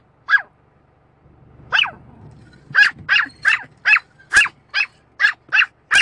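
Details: Dog barks at a windscreen wiper: two isolated yaps, a brief rumbling pause, then a fast steady volley of about nine sharp barks near the end, low background hum throughout.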